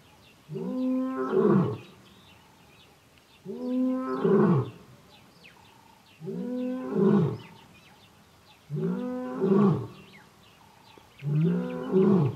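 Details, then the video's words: Wild lion in the Kgalagadi, filmed from the honeymoon suite at Urikaruus in March 2018, calling for his two coalition brothers: deep, harmonic grunting roars in bursts roughly every two and a half seconds, with faint bird chirps behind. "Kgalagadi lion roaring"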